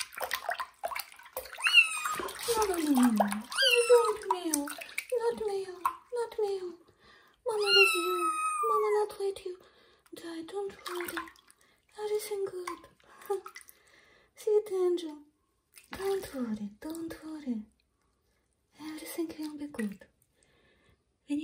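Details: Kitten Johnny in a bathroom, taking its first bath, gives a long run of loud meows. Some are high and strained, many are shorter and falling in pitch. Splashing water and human voices are heard alongside.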